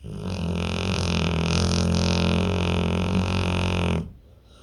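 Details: A pit bull in deep sleep gives one long, loud, rumbling snore lasting about four seconds. It is low and buzzy with a steady droning tone, then cuts off into near silence.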